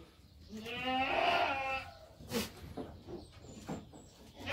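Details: Young goat kids: one long quavering bleat lasting over a second, followed by soft rustling and scattered knocks.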